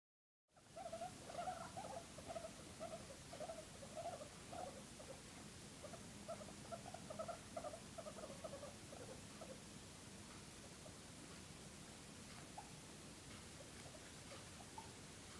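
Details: A pregnant guinea pig in her ninth week, grooming herself, gives soft, short squeaky notes in quick succession over steady rustling.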